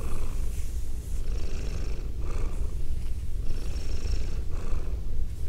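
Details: A female domestic cat purrs in a binaural ASMR recording, possibly while being petted, giving a steady, low, rumbling throb with faint soft rustling above.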